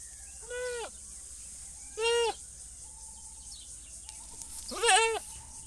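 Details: Goat bleating three times in about five seconds, each call a wavering, nasal, quavering cry of under half a second, the last one loudest, with a faint steady hum and light background noise between calls.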